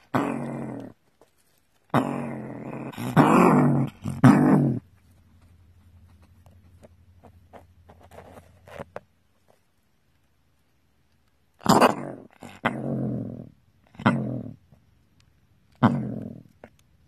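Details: A male gray fox in his burrow gives harsh, raspy snarls, with a low, steady growl between bursts.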